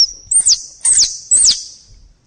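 A squirrel gives three high, thin squeaks, each ending in a quick downward slide.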